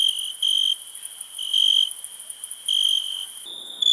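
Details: Cricket giving a steady, very high continuous trill with louder stretches of chirping swelling in and out roughly every second; the tone shifts abruptly near the end as if the recording cuts.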